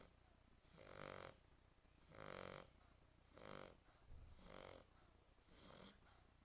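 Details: French Bulldog. A French Bulldog snores with harsh, rattling breaths that come in a slow, even rhythm, about one every second. Each snore is a rough, buzzy rasp that swells and fades, with quiet pauses between.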